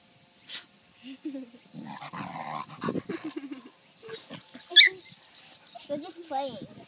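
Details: Kishu x Shikoku puppies from one litter, 52 days old, playing: scattered high whines and yelps mixed with low grumbling growls, irregular and excited, with one sharp squeal partway through and a steady hiss behind.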